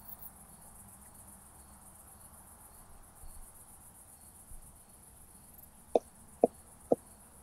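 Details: Southern Oak Bush-cricket at Starnberg, Germany, 7 August 2023, picked up with a Pettersson D 100 ultrasound detector; after a quiet stretch, three crisp clicks sound roughly half a second apart near the end, with soft background hiss.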